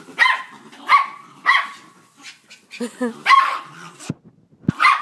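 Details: Dog fight between a pit bull and a Jack Russell: repeated harsh bark-like yelps with snarling bursts roughly every half second, then a woman laughing and praising the dog.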